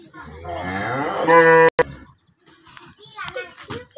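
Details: An aggressive cow, let out of its pen and then back in, gives one long, deep moo. It rises in pitch over about a second and a half, then breaks off sharply. Children's voices and chatter follow.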